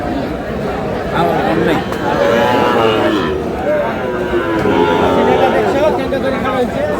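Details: Sahiwal bull calves at a crowded cattle market in Comilla, Bangladesh, on 31 March 2026; a deep, drawn-out moo swells near the third second and again around the fifth, over steady human chatter and market crowd noise.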